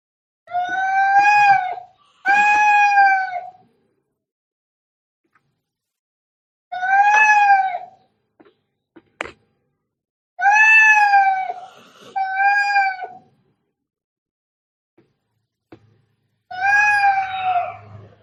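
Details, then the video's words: Very angry cats fighting: repeated drawn-out, wavering caterwauls, each one to two seconds long, some in quick pairs, separated by quiet gaps with faint clicks. "cat fighting sounds - Scary - Sound like K1ds - Very Angry"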